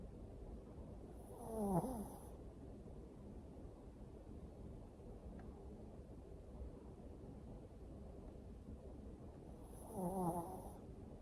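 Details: Napping Toy Poodle snoring at home: two rasping, rattling snores about eight seconds apart, each a short harsh burst with a raspy upper hiss, separated by quiet breathing in a still room.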